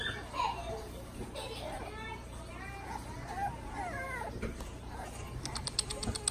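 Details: French Bulldog puppies recorded on 26 November 2019. Thin, wavering squeals and drawn-out whines come in overlapping bursts, some sliding downward in pitch. A few sharp clicking taps near the end, with a constant low hum underneath.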